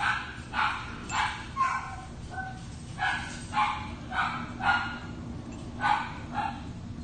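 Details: Red brindle female Havanese puppy yapping steadily, about nine short high barks in seven seconds at a loose, uneven rhythm, with a light hum behind.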